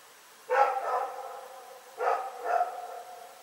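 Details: Night-time barking by Rex the dog, recorded 27 February 2018: two pairs of rough, mid-pitched barks, each double bark followed by a short echoing tail, about a second and a half apart.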